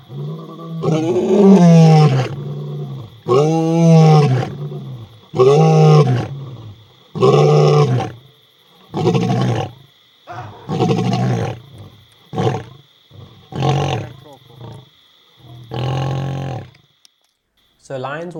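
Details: A male lion (Panthera leo) gives his deep, loud territorial roar, advertising his territory to rival males: a few long, booming moans fading into a run of shorter grunts.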